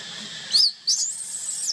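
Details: Baby monkey crying while left alone by its mother: a short shrill squeal, a brief gap, then a long thin high-pitched wail that wavers and slides down at the end.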